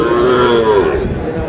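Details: A Sahiwal bull calf moos at the Aftabganj cattle market in Dinajpur, Bangladesh: one drawn-out, slightly wavering low call lasting about a second, over constant market chatter and a man speaking Bengali.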